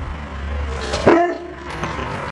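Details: Dexter, a liver-nosed Rhodesian Ridgeback, barks on command: one short, sharp bark in the middle with a brief fainter follow-up, over steady low background hum.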